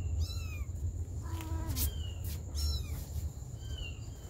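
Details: High kitten-like mews from a mother cat tending her baby kittens. Short downward-bending cries come in a few bursts, with one lower, flatter mew near the middle over a constant low hum.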